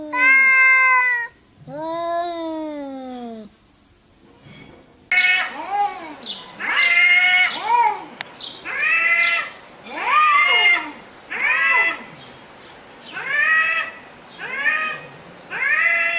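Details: Cats meowing to each other: two long clear meows, a short pause, then a run of arched meows repeated roughly every one and a half seconds.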